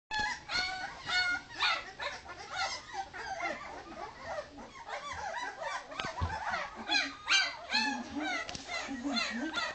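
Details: Two-week-old Leonberger puppies from a 2010 litter whimper and yip for their mother while a man tries to comfort them; many overlapping high, wavering cries rise and fall in quick succession, with a man's voice speaking.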